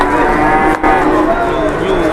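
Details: Cattle in Indonesia waiting at the weighing scales: a brief stretch of sustained, harmonic-rich mooing from several animals, broken by one short gap, over steady background noise.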